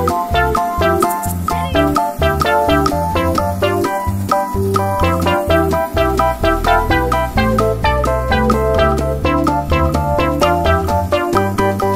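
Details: Upbeat keyboard and piano music plays continuously with a steady beat, and no animal sounds can be picked out.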